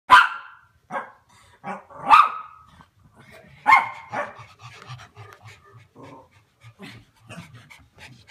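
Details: Chow Chow dog playing with Pomeranian, Spitz and Chihuahua puppies: a few sharp, bright yelps or barks in the first four seconds, then soft, low, rhythmic breathing pulses roughly every half second.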